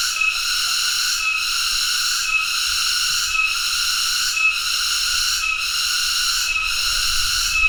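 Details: Cicada (tonggeret) sustaining an intense, even, high buzz with harmonic layers and brief rhythmic gaps near every second.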